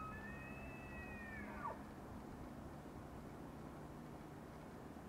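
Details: A bull elk bugles during the annual rut in Yellowstone National Park in the early morning with his breath visible, a high, clear whistle that holds steady before dropping away.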